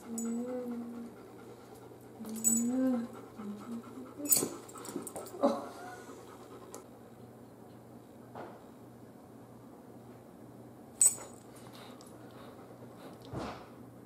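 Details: Biscotti, a female Great Pyrenees puppy almost three months old and newly welcomed into the family, gives soft, low whining tones during the first three seconds, followed by scattered sharp clicks and taps in a quiet room.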